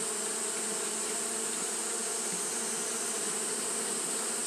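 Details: Japanese honey bees fanning steadily through a hot day, a dense, continuous low buzzing hum without pauses, overlaid by an unbroken bright high-pitched hiss.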